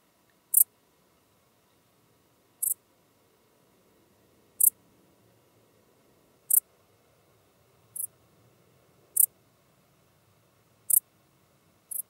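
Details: Common dark bush-cricket in Tuttlingen, Germany, autumn 2022, giving eight brief high scratchy chirps at irregular intervals of one to two seconds, with faint low rumbling background.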